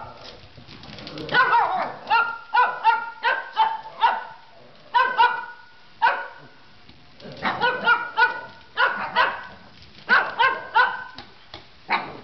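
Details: Shih Tzu barking at a vacuum hose indoors, bursts of sharp, bright barks in quick runs of three to five, separated by short pauses, with a faint steady hiss beneath.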